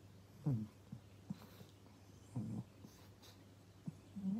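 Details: Male pug Pangpang indoors making scattered low grunting snorts and wheezy breaths at irregular intervals, with a couple of longer rumbling bursts, over a constant low hum in a small room.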